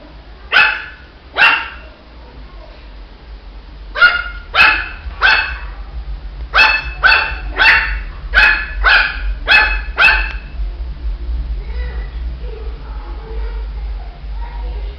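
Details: A Shih Tzu puppy yaps in bursts: two barks, then a quick string of about ten sharp high barks, fading into soft low murmurs and faint rumble at the end.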